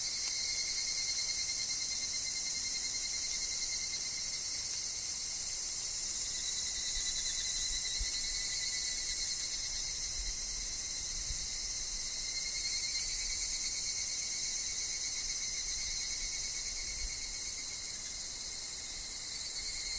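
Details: Evening cicadas, or higurashi, calling in a forest amid wind and falling leaves, forming an unbroken high, hissing wall of sound with subtle wavering and a steady lower whine running beneath.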